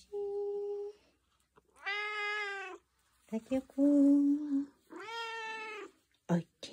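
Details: Tuxedo cat indoors answering a morning greeting with a lively 'singing' voice: two drawn-out, harmonic-rich meows about a second each, with a steady humming-like tone and short voice sounds between.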